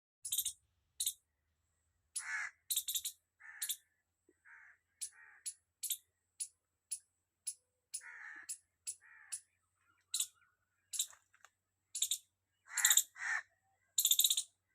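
A squirrel gives sharp, high chirps in quick, uneven bursts, some with a lower, rougher edge.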